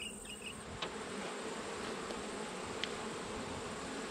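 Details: Honey bees in an open hive during an autumn inspection of a beekeeper's colonies, one of which has swarmed; a steady, dense droning hum of many bees with low banded tones, two faint clicks from handling the frames.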